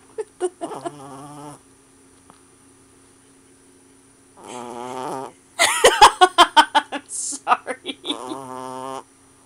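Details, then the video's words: A sleeping puppy snores in buzzy, throaty breaths, broken midway by a quick burst of sharp pulsed snorts, roughly a dozen in two seconds, before the rasping snore resumes. "snoring puppy"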